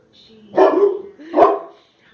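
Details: A 14-month-old mastiff named Bella barks twice in quick succession, deep and rough, about a second apart, reacting to her reflection, while a voice soothingly repeats her name.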